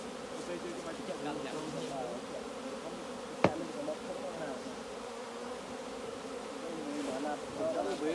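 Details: Honey bee colony buzzing at the hive while beekeepers collect honey; a continuous low droning hum of many bees, one sharp click midway, and the hum swelling near the end.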